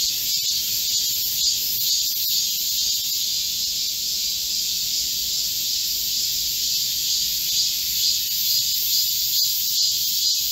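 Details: Midsummer forest chorus of Korean cicadas, recorded 25 July 2024 during a heatwave; constant high, sizzling buzz layered in bands, slightly pulsing in loudness, with faint scattered clicks.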